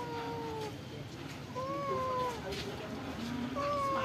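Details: Stray cats fed rice and fish at a pagoda give a run of long, level-to-falling meows, one after another, with a quieter low call between them and a faint hum behind.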